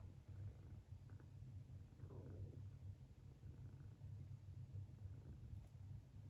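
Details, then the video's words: Long-legged Munchkin kitten snores while asleep, pulling a funny sleeping face; a deep, continuous throaty rumble rises and falls in soft waves, with a brief faint rustle near the middle. "滑稽な寝顔でいびきをかく猫 Snoring kitten's funniest sleeping face"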